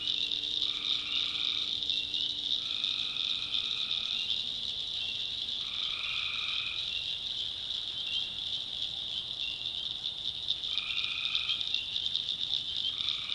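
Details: Nighttime chorus of tree frogs in North Carolina backwoods: a continuous shrill trilling wall of sound, broken by drawn-out nasal notes repeated every two to three seconds, plus a faint low tone early on.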